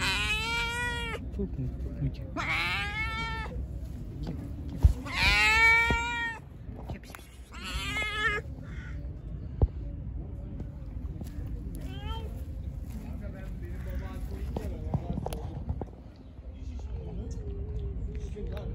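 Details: Hungry, angry pregnant stray cat, fed and then attacking: four loud, drawn-out meows with bright harmonic stacks, each rising then falling, spaced two to three seconds apart. Steady low rumble and faint voices underneath.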